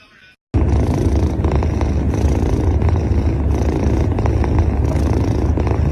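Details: Angry domestic cat making a low, steady rumbling growl that starts abruptly after a brief quiet moment and holds at an even, throbbing level to the end.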